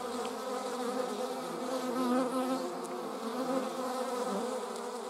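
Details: German wasps flying together give a dense, continuous hum of stacked droning tones, with one slightly wobbling pitch briefly standing out in the middle.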